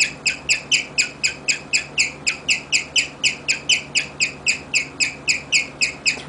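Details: Guinea pig named Rigel serenading its people with chirping: rapid, evenly spaced bird-like chirps, about four per second, each bright and harmonic-rich, steady throughout, over a faint low hum.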